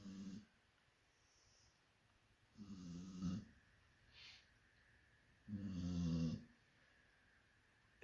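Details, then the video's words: Sleeping Labrador Retriever snoring while another Labrador nearby is annoyed by it; three long, rasping, rumbling snores come about every three seconds, with near silence between them and a brief voice at the end. "Muss die so schnarchen? Labrador Chilly ist genervt von Lillys schnarchen"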